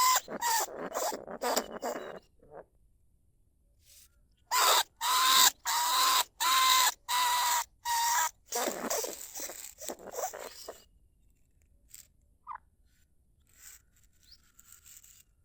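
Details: Live recording of lesser bandicoot rat from rice fields at Na Lao, Nong Khu Phai, Thailand, used to lure rats from burrows into traps. Bursts of raspy squeals come in series, about one and a half per second, then fall quiet, leaving near silence.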